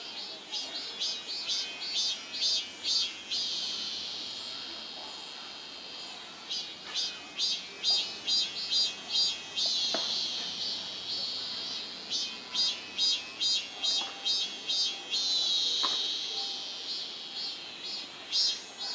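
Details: Cicada song in summer: loud, buzzy high-pitched pulses repeated at a steady rhythm of about two per second, with short pauses between phrases and a few faint clicks in the background.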